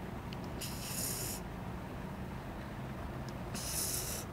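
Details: Fishball, a pet Japanese Spitz, snores while sleeping soundly: two raspy, hissing breath sounds about three seconds apart over a steady low hum.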